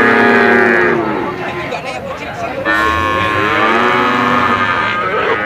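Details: Brahman bulls lowing, several drawn-out harmonic moos overlapping one another, the first strong call fading after about a second and another rising near the middle, over a constant background hum of other cattle.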